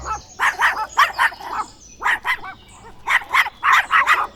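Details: Dogs barking in rapid, sharp, mid-pitched barks, grouped in quick runs of three to six with brief pauses between runs, steady and insistent throughout.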